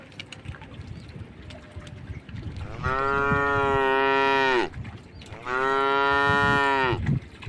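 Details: Tame cattle passing through standing water on a road by a forest: low rustling and splashing, then two long, steady moos, each nearly two seconds long, with a short gap between them.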